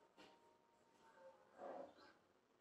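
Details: Seven-week-old Labrador retriever puppy left alone for seven minutes, whining: a thin, soft, steady whine, then a lower sliding note and a louder, brief whimper near the end over quiet indoor room noise.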